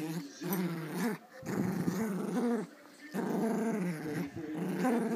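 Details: Two female Pomeranians, a small pom and an adult, tussle over a toy; the bigger one growls in play. Rough, low rumbling bursts of about a second each, separated by short breaks, three main runs.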